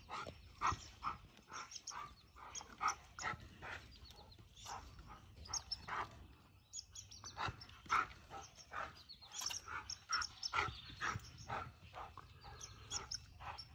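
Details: Siberian Husky outdoors in Ontario, running laps around a tree with a red squirrel; a rapid, uneven series of short, sharp barks and yips, roughly two per second, loud bursts separated by brief gaps.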